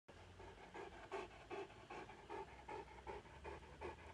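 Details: Big Saint Bernard dog in Nepal panting just after killing a rat with one blow; quick rhythmic breaths, about two and a half per second, steady and slightly harsh, with a low hum underneath.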